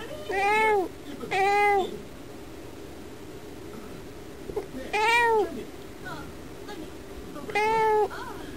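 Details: House cat meowing while watching birds from indoors. Two clear arched meows in quick succession, a long silence, then two more spaced meows of the same bent, falling shape.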